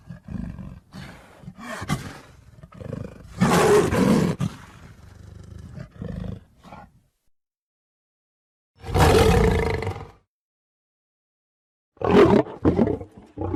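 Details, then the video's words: Lion roaring: several rough, deep bursts with broad harsh texture, the loudest around four and nine seconds, separated by short quiet gaps, with a final shorter burst near the end. "صوت الأسد - زئير الأسد - Lion Roar"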